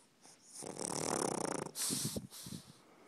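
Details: A pug snoring while trying to sleep indoors; a long rasping breath for about a second, then shorter snorting puffs and a sharp hiss.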